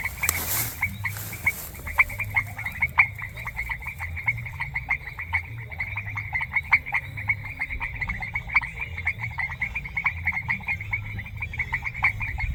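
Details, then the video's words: Frogs calling in a semi-humid grassland in a rural setting, a dense chorus of short repeated clicking notes in a steady band, many callers overlapping, with a brief broadband rustle near the start and low rumble underneath. "Sonido de Ranas | Ambiente Natural en un Pastizal Semihúmedo"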